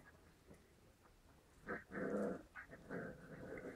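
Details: Seven-week-old white Großspitz puppies in Berlin give low, breathy growls. After a quiet start, a few rasping bursts run together over the last two seconds, with faint room noise underneath.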